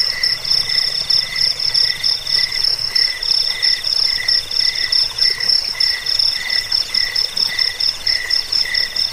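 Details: Cricket chorus of high, pulsed trilling, with several voices stacked at different pitches. The rapid, regular chirps overlap continuously, with a faint low hum underneath.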